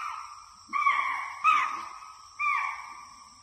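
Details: In a forest, a deer gives three clear, tonal bleating calls, each starting abruptly and fading over about a second.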